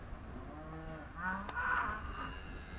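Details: Charolais cows, trained and called by their owner, 2017; a soft low moo with faint stacked harmonics is followed by a brighter, hoarser swell in the middle, set against a steady background hum.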